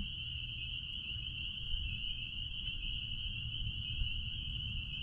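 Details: Spring peepers in full chorus out back at a blueberry farm, a constant piercing high trill of countless overlapping calls, with a soft low background hum and almost no other noise.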